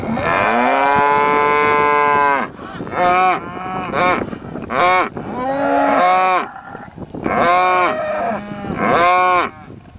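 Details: Cows wanting attention give loud, harmonic moos in bursts: a long two-second low at the start, then shorter rising-and-falling calls every second or two, several animals overlapping.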